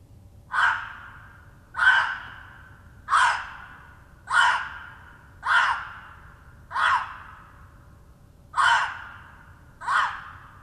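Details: Gray fox (Urocyon cinereoargenteus) gives hoarse, breathy territorial barks, a little more than one per second. It seems to have smelled a red fox that passed hours earlier and is announcing the territory as his.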